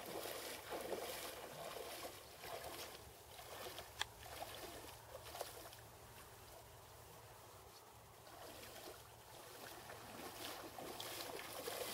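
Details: Soft outdoor wash of running water and wind rustle with one sharp click, with no animal calls.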